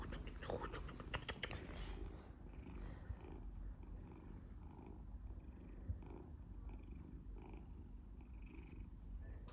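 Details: Golden tabby Scottish Fold named Matisse, a large cat, purring loudly and staying calm while played with and teased; steady low rumbling purr throughout, with brief rustling and handling noises in the first two seconds.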